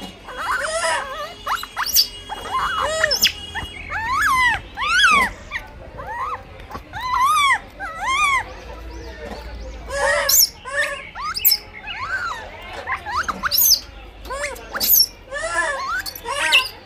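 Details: Blind baby monkey competing for food: steady stream of bent, whining squeals and shrill screeches, repeated every second or so, with harsher broadband bursts mixed in over a faint low background hum.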